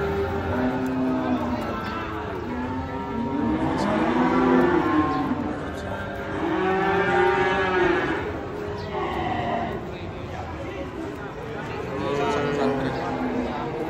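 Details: A crowd of cattle moos continuously while unloaded from a truck, one trampled by another animal. Drawn-out, arching bellows overlap in waves of rising and falling loudness.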